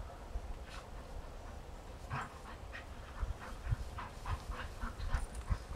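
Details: Outdoors on a sunny day, a Rhodesian Ridgeback plays with a friend: quick breathy puffs of panting repeated in a loose rhythm, with faint low rumbles and soft thuds.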